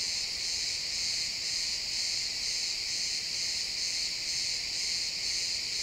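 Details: Crickets chirping in a pine forest at sunset, recorded in XY stereo: a dense, high shimmering trill with a steady pulsing beat about twice per second, several insects overlapping, no other sounds.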